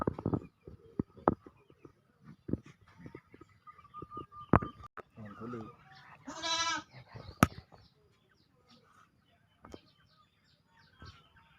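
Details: Goat in Gampong Matang Seutui village, Langsa Timur, Langsa, Aceh, giving one wavering, quavering bleat near the middle, amid clicks, thumps and voices nearby.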